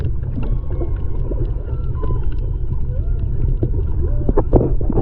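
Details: Humpback whales singing off Maui, Hawaii, in February 2020, picked up underwater by a snorkeler's GoPro: drawn-out tonal moans sweep up and down at mid pitch, partly masked by a heavy low rumble of water noise.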